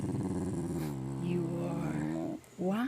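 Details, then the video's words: Dog vocalizing out of jealousy over attention paid to another animal, a steady low rumbling growl with a woman's affectionate voice talking over it, ending in a short rising sound. "Jealous Dog"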